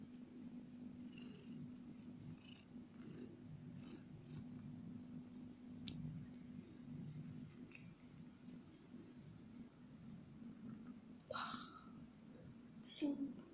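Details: A cat sniffing its owner's towel, which it loves the smell of, purring in a soft steady drone indoors, with a few faint rustles and a brief squeak near the end.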